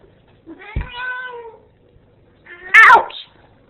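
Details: Female Ragdoll cat protesting as her owner leaves, which she dislikes: a drawn-out tonal meow with a sharp click near its start, then after a pause a loud, rough, rising and falling complaint meow, between the owner's words.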